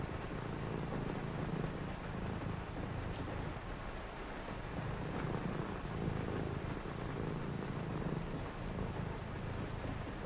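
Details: Cat purring through a rainy night, a soft low vibration that pulses in slow breathing rhythm, partly veiled by the even wash of falling rain.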